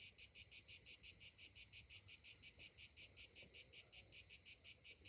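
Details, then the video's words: In summer morning, cicadas give a high, harsh buzzing song broken into quick even pulses, roughly three a second, continuous and unaccompanied. "Morning summer cicadas sounds"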